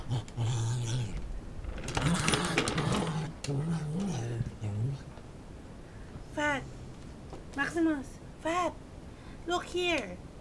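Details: A male Lhasa Apso, angry at an ordinary chair for no known reason, gives short, high, arching yelps and barks after a stretch of human talking.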